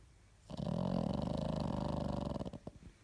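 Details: A sleeping pug snores indoors: a rough, low, rattling snore lasting about two seconds, with rapid fluttering pulses throughout, then fading into a few soft snuffles.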